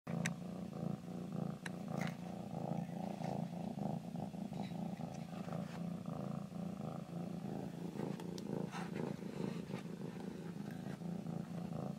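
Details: A pet cat purring steadily, a low continuous rumble with faint breath-paced pulsing throughout and a few soft clicks and rustles.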